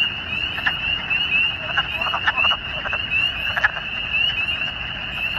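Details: Spring chorus of wood frogs and spring peepers calling and breeding in a large vernal pool beside a road, Paul Smiths, New York, 13 April 2020: steady shrill high ringing overlaid with rough, clucking bursts from many callers.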